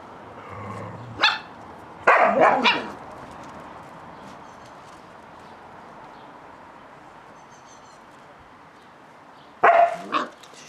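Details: Playing Catalan Sheepdog pups, the litter of Bonny and Elgoche, give a short yap, then a quick burst of two or three rough barks, a long quiet stretch, and a final cluster of barks near the end.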